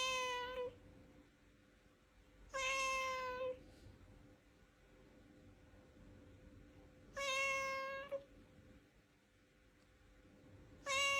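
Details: Domestic cat meowing to express its emotions, live sound: four clear, tonal, slightly falling meows, each under a second long, spaced about two to four seconds apart in a quiet indoor setting.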